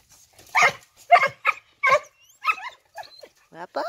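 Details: Young male Shih Tzu of American line, born April 2019, giving a series of short yappy barks and whines, about seven bursts in four seconds, with bright harmonic yelps toward the end.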